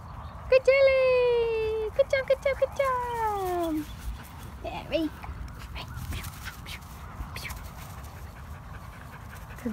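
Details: A one-year-old Dachshund and Yorkie mix in dog training gives long high whines that slide downward, with a quick run of short yelps near the middle, before a trainer's spoken commands to come, sit and lie down.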